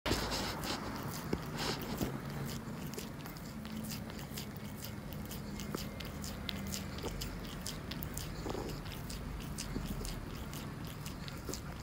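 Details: Calico cat named Monkey eagerly licking a tuna treat indoors: rapid wet clicks and smacks repeating several times a second, steady throughout, in a small quiet room.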